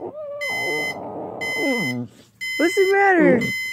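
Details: A pit bull named Jäger responding to an alarm clock with wavering, whining howls that slide downward in pitch, broken by a short pause, while the alarm beeps in regular high bursts.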